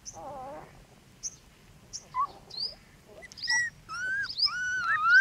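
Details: Newborn puppies in a backyard giving thin high squeaks and brief whistled cries, scattered at first, then a run of rising and falling tonal whines toward the end.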